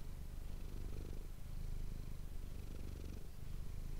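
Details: Manis, a domestic cat, purring, recorded up close on an ASMR microphone: a steady, deep rumbling throb that swells and eases with each breath, with no other sounds.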